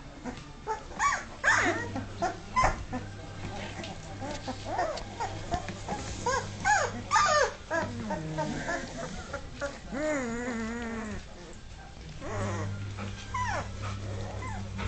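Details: Two-and-a-half-week-old Dogue de Bordeaux puppies just finding their feet. Scattered rising and falling whimpers are followed by a longer wavering whine near the middle. A person talks over parts of it, and a low hum runs throughout.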